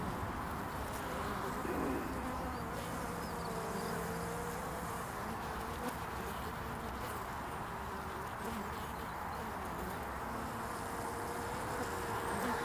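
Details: Early-spring honeybee traffic at a hive entrance, 22 February 2019: an unbroken swarm-like hum from many bees, with occasional steadier tones from single bees passing close.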